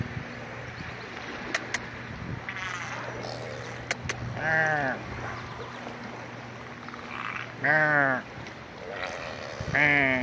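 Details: Beluga whales at play give nasal, bleating calls with wavering pitch, repeated every couple of seconds over a steady hum.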